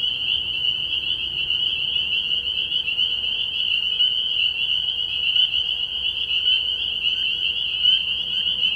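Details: Early-year night at a frog pond, where a crowd of spring peepers keeps up a constant high-pitched peeping chorus, calls overlapping into a bright, unbroken shrill tone.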